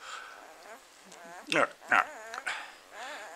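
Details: Newborn German Shepherd puppy, three days old and just fed a large lunch, whimpering in thin wavering whines at the start and end, broken by a person's short spoken words in the middle.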